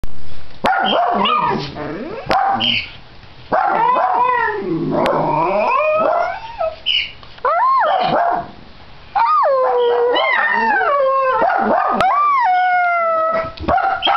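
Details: On New Year's Day, as they head out for a walk, Dachshunds join one dog's barking in a group howl of wavering, sliding tones broken by short yips and barks, and a pet cockatiel joins in.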